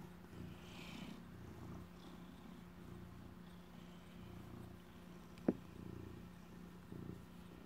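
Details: Former stray male house cat, adopted after being found hurt at Halloween, purring steadily while guarding a piece of stolen cheese indoors; a continuous low rumbling throb throughout, one sharp click near the middle, faint steady hum behind.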